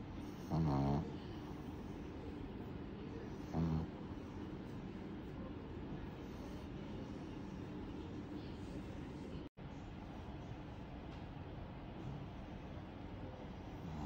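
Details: Pug giving two grating, low snores about three seconds apart early on, then a long stretch of even background noise broken by one sharp dropout.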